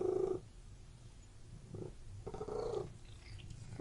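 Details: Domestic cat purring indoors in a room: a low, pulsing rumble that swells in short breathy bursts, strongest at the very start and again midway, with a quieter steady rumble in between.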